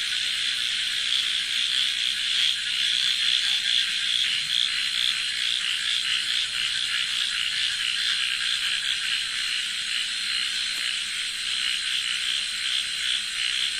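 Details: A very loud chorus of frogs calling at night in a village: a dense, continuous wall of rapid, raspy pulses with no gaps, steady throughout, with a faint low hum underneath.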